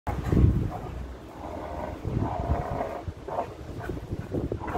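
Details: A pit bull puppy growls while tugging and pulling on a leather glove in play, giving low, rough rumbling growls in uneven bursts with brief pauses and some faint background noise.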